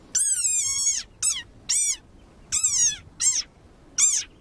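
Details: An angry desert rain frog gives a war cry: a series of high, harmonic squeaks, much like a squeezed dog toy.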